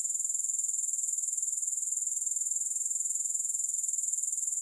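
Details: Grasshoppers give a steady, very high-pitched pulsing trill, the rapid pulses even and unbroken throughout, with no music or other sounds.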